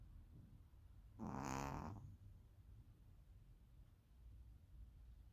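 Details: Tuba-like snore from Ponzu the Pomeranian: a single drawn-out, buzzy, tonal honk lasting under a second, set against steady low background hum.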